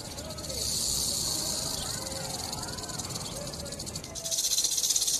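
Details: Rattlesnake rattling: a dense, steady high buzz with fast flickering pulses that swells in the first second, dips briefly near four seconds, then returns louder and more grainy, over faint low rumbling.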